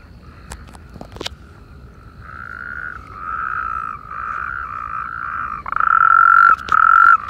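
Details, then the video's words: Natterjack toads calling together in irrigation canals facing Perales del Río, Parque Lineal del Manzanares: faint distant trilling at first, then swelling overlapping rattling trills that grow loud near the end, with a few sharp clicks early. "Sapos corredores en coro"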